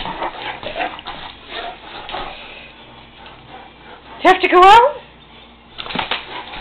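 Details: Great Dane and Saint Bernard wanting to go out: a brief wavering, rising-falling howl-like whine in the middle, with people talking before and after.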